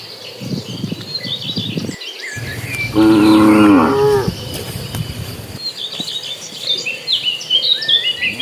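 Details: Dozens of cattle in a herd migrating toward green pasture give one loud harmonic moo of about a second, with birds chirping and insects buzzing behind and some shuffling noise.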